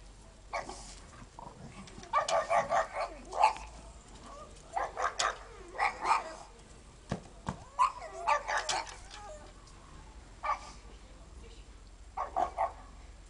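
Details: Pugs playing in the snow bark in quick clusters of two to four mid-pitched, slightly hoarse yaps, separated by brief pauses and softer snorts, with faint background hiss between bursts.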